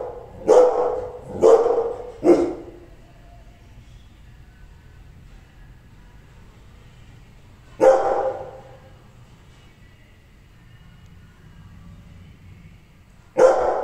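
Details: An angry Rottweiler gives deep, forceful barks, three in quick succession, then single barks after long pauses.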